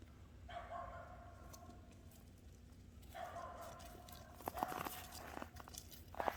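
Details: Boer goat kids one week old, playing while watched by their mother: two long, even, nasal bleats in close succession, followed by sharp knocks and clatter, over a low background hum.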